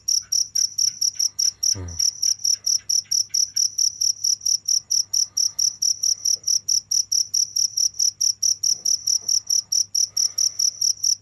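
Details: Continuous cricket calling: bright, high-pitched chirps repeated rapidly and evenly, roughly five each second, with one brief downward swoosh near the start and a soft low hum underneath.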